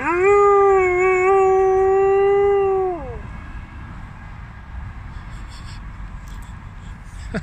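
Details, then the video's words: Contra, an Alaskan Malamute in Halmstad, Sweden, howling along with fire truck sirens on an evening walk; one long steady howl with rich harmonics holds for about three seconds, then drops away, leaving quiet street noise. "Alaska malamute howling at firetruck sirens"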